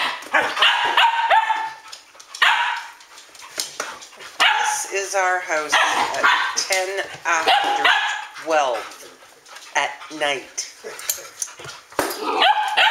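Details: Midnight on 12 August 2014 with a group of Standard Poodles: barks mixed with wavering, yodel-like whines and howls, and human voices talking among them.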